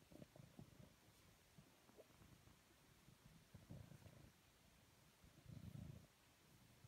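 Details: Purring from the cuddled house cat Tijger in Amersfoort, a soft low throbbing rumble in uneven pulses, strongest near the end, over quiet rustling of fur and hands.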